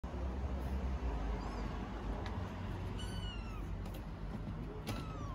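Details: Stray kittens in Istanbul meowing for dinner: a few thin, high, falling meows, spaced apart and faint, over a steady low rumble like traffic.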